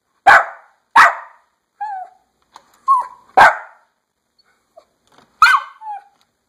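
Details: Dog eager to go outside, yapping loudly: piercing short yaps spaced about a second apart, mixed with brief high whines and whimpers in the gaps.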